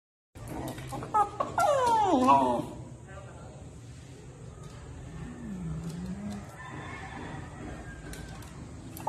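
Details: Miniature dachshund at play gives a burst of high, wavering whiny yelps lasting about two seconds, then falls quiet to a low room rumble with one faint, drawn-out low whine.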